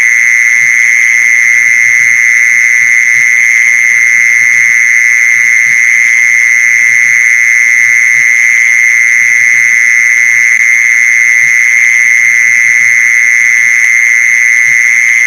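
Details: Mole cricket sound, locally called maeng ji son, played to lure mole crickets: one loud, unbroken, high buzzing trill held at a steady pitch throughout, with no pauses or changes, and no other clear sounds.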